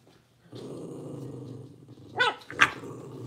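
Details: Blenheim Cavalier King Charles Spaniel puppies, part of a litter of five born at New Year, indoors in their puppy pen: a low steady growl, then two sharp high barks near the end.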